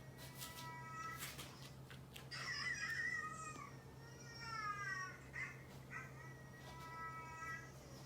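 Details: House cats reacting to a dog's bark indoors; repeated long wavering meows with bending pitch, several in a row, a short tense cry among them, faint clicks and a constant low hum in the room.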